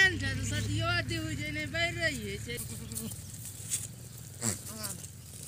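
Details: Baby goats call with long, quavering, wavering bleats through the first half, then fade to a few quieter, scattered sounds over a constant low hum.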